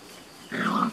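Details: Beauceron puppies, six and a half weeks old, working-line litter in a new enclosure, 27 May 2019; a short half-second whine with a low voiced band and a higher tone, breaking in after quiet background hiss.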